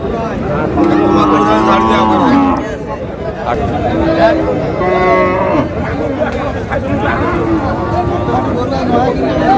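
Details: Cows at a cattle market on 25 August, where a Dhaka farmer buys lean, bony cows. A drawn-out low moo lasting about two seconds, then shorter lowing calls, heard over steady crowd chatter and bargaining voices.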